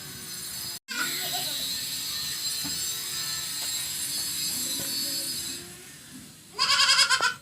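A goat gives a short, quavering bleat after several seconds of steady background hiss.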